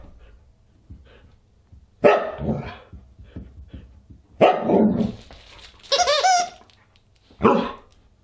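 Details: Huskies at a dinner party on December 27, 2022, indoors: a few loud harmonic barks and yelps at two, four and a half and seven and a half seconds, with a higher whining howl near six seconds.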